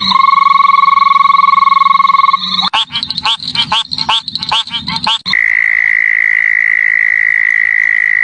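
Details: Frog calls in a series of joined segments: a long, steady, rapid trill, then a burst of quick pulsed croaks, then another even, sustained high trill.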